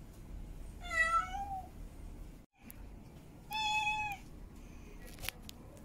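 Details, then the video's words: Domestic cat, a female in heat, giving mate-calling meows: two long tonal wails, the second steadier and flatter, separated by a brief silence, followed by faint clicks and soft noise. "Female Cat In Heat Meowing Mate Calling"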